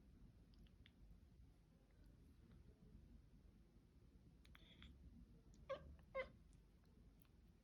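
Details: A cat making weird noises indoors: a faint background of scattered clicks, then two short, sharp, rising cries about half a second apart near the end, each with bright stacked harmonics.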